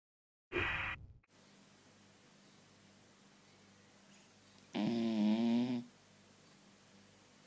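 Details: A sleeping blue roan tricolour Cocker Spaniel puppy gives one drawn-out, wavering, buzzy snore after a brief breathy snort.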